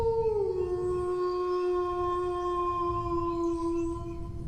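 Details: Dog howling: a long, harmonically rich tone starts slightly higher, drops within half a second, then holds a steady low pitch for about four seconds over a faint low background rumble.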